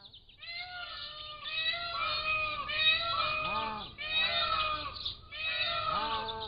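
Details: Pallas's cat kittens, 3 to 7 weeks old, captive, caught on a motion-activated trail camera: overlapping harmonic mews that rise and fall, several in quick succession, over steady high bird chirping in the background.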